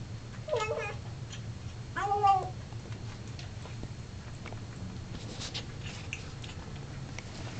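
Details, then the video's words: Oscar, a male Siamese cat from a breeder, sings while eating in a bathroom; two wavering, drawn-out yowling meows come about a second and a half apart, over a low steady hum with faint rustling. "Singing Siamese"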